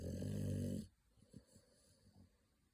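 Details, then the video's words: Pocky, a baby American Pit Bull Terrier asleep with eyes showing white, gives one loud rattling snore that stops abruptly, followed by faint soft snuffles and clicks. "白目をひん剥いて、いびきをかいて 眠るアメリカンピットブルテリアの赤ちゃん"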